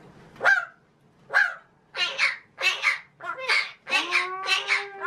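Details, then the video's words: Captive male magpie talking, mimicking human words indoors: two sharp single notes, then a rhythmic string of chattering speech-like syllables ending in a drawn-out tonal note. "the talking Magpie"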